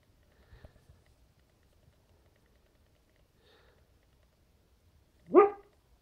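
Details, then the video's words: Dog barking in its sleep: faint muffled whimpers early on, then one short, sharp bark near the end in an otherwise quiet room. "Sleeping dog barking"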